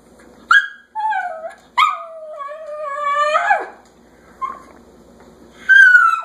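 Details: Indoor dog eager to go outside, giving long tonal whines and yelps that rise then slide down, some drawn out over a second, separated by short quiet gaps.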